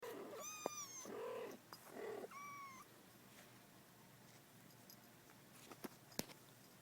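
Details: Domestic cat family indoors, a young mother cat hugging her 35-day-old kittens: several thin, high, rising kitten mews and a couple of lower, softer chirping calls in the first three seconds, then quiet room hiss with faint clicks.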